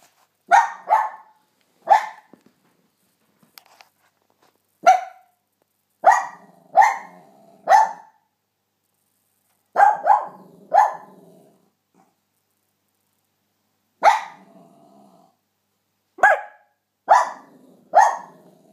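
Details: Luci, a Cairn Terrier, barking: sharp, loud barks given singly, in pairs and in short runs of three, about fourteen in all, separated by pauses of up to two seconds, against a quiet background.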